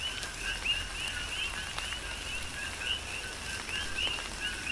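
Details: Coqui frogs calling in tropical rain on the Big Island, Hawaii: overlapping two-note chirps, a lower note then a rising higher one, repeated steadily by many frogs, with raindrops pattering throughout.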